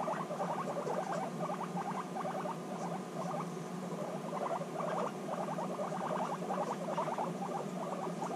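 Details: Two or more guinea pigs bonding intensely on meeting again after six months apart, giving quick runs of clipped, pulsed rumbles in uneven bursts about once a second, over a steady low background hum.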